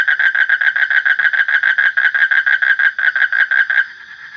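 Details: Frog trill made of loud, evenly spaced nasal pulses, about six per second, running for nearly four seconds before cutting off into quiet.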